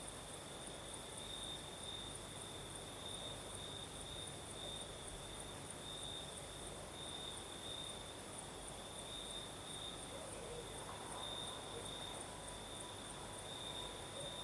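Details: Crickets in Crimea, in the south, singing through the night while a breeze blows: an even, sustained high trill runs without pause, topped by a faint higher buzz, with low steady wind noise below.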